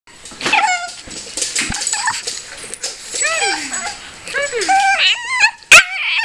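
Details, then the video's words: Female Pekingese crying emotionally: rapid, high, wavering whimpers and whines that slide up and down, tumbling over one another almost continuously, with a sharp yip near the end. "Dog's Insane Crying"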